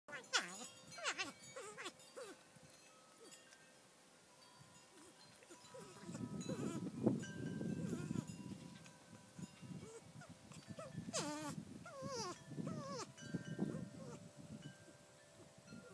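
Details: A female North American porcupine, more vocal than the male, makes wavering, bleat-like whines mixed with low mumbling grunts.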